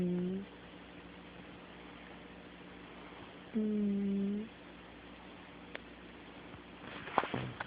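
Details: Snoring of a sleeping kitty, caught on an Android phone in a small room: low, even, humming breaths about a second long, spaced several seconds apart, with faint rustling near the end.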